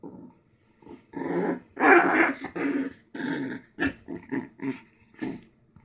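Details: A dog growling while playing with a new stuffed toy, giving a series of rough, rumbling growls in uneven bursts, each lasting about half a second to a second, separated by short pauses and snuffling breaths.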